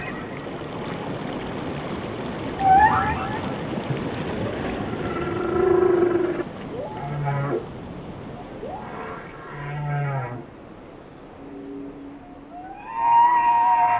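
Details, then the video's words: Whale song: moaning harmonic tones, a bright rising whistle near 2.7 s, low grunting pulses, and a loud upswept cry at the end, over a steady underwater hiss. "Song of the Whales"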